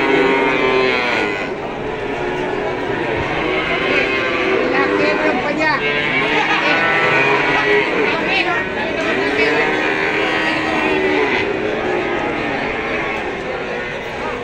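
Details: Cattle, including female Pegon and Limousin calves offered for sale: drawn-out, wavering moos rise and fall over nearly fifteen seconds, overlapping other calls, with people talking throughout.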